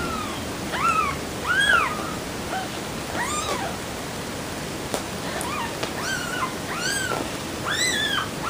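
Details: Several kittens giving overlapping thin arched meows, about a dozen short mews over steady background hiss, some faint, others clearer.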